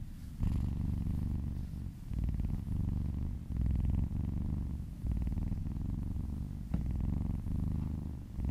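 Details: Domestic cat purring contentedly while being massaged indoors, a steady low rumbling purr that pulses in breaths, each phrase lasting one to two seconds with short dips between, close and clear with no other sounds.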